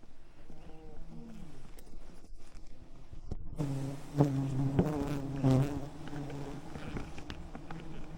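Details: Wild bees swarming over an enormous hive in the rainforest canopy, smoked by honey hunters hanging from a tree branch; quiet rustling at first, then a loud, rich, layered buzzing hum swells from midway with sharp taps.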